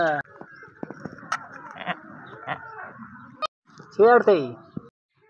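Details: Newborn Beetal goat kid just born to a slightly weak mother in a village. Two loud, wavering bleats near the end follow a stretch of human talking and clicks.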